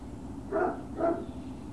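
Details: Great Dane puppies on Puppy Hill, 21 March 2019: two short, mid-pitched barks about half a second apart over a steady background hum.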